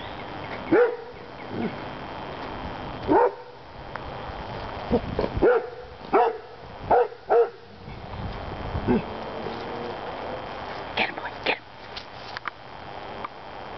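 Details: A German Shorthaired Pointer mix in a backyard barks at a birthday balloon that drifted into the yard. About seven sharp, loud barks come singly and in quick pairs, with a woman's encouraging voice between them.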